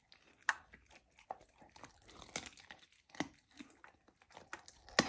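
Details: Lilo the golden retriever puppy eats raw lamb, her first taste of it. Sparse wet chomps and tearing sounds are spaced through a quiet background, with a few louder crunching bites.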